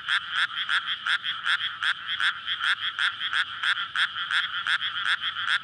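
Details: Frog chorus at night in May in a flooded rice paddy ready for planting, surrounded by housing, males calling in courtship to breed; dense pulsed croaks, roughly three per second, overlapping voices, recorded on a SONY PCM-D100.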